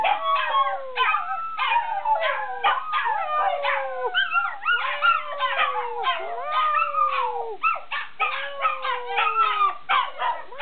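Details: A mother dog and her puppies howl together in chorus, long wavering howls sliding downward, overlapping with higher yips and rising wails from the pups, calls restarting roughly every second in a dense, continuous group concert.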